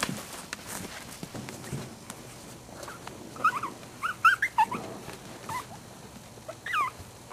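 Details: Puppy giving a cluster of thin, high, rising-and-falling whimpering squeals in the middle of the stretch, then a last pair near the end, over soft handling rustles and clicks.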